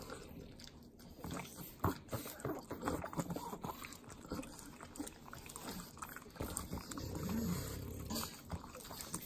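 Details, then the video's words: Pugs, three of them, lick butter at home in the Inland Empire, Southern California. Sharp wet smacks and clicks come irregularly, with a throaty low snort rising near the end. "ASMR Pugs Eating Butter - Calming Sounds of Sloppy Licking, Snorting"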